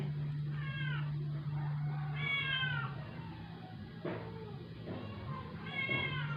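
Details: Rescued stray indoor cat, ill and not eating for twelve days, in its dying moments after a vet visit: three drawn-out, wavering meows spaced a couple of seconds apart over a steady low hum.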